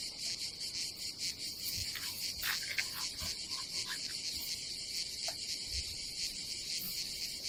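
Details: Cicadas on a summer day at a campsite above the Adriatic Sea in Croatia, a dense, loud, high buzzing chorus with rapid pulsing texture and faint low thumps.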